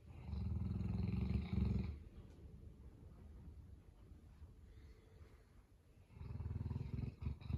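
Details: Sleeping Boerboel dog having a Monday morning sleep-in, snoring softly: two stretches of low, rumbling, rhythmic snore breaths, one at the start and one near the end, with a quieter pause between them.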